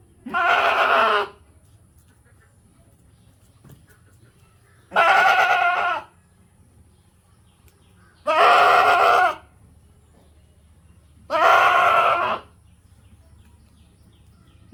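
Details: Goat (Capra hircus), bleat.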